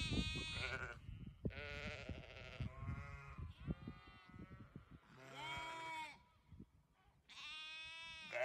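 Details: Several sheep bleating in turn: a series of harsh, trembling bleats of differing pitch, some short and some drawn out, with soft thumps and rustling between calls.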